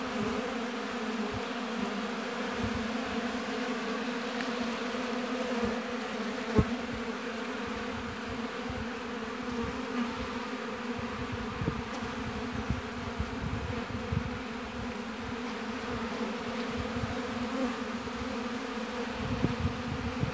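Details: Busy honey bees at a hive in an apiary, giving a continuous dense droning hum with stable low tones throughout, unchanging in loudness, with occasional faint ticks from bees or handling.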